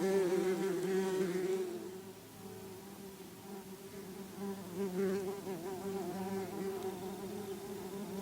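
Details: Bumblebees calming down and flying back to their nest to take up their cocoons again. A soft, even, low hum drones on throughout, louder at the very start and then quieter.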